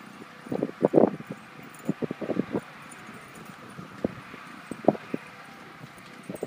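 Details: Whippet called Nugget barking excitedly at a kite outdoors: a burst of short, sharp barks early on, then scattered single yaps with pauses, over faint rustling and wind.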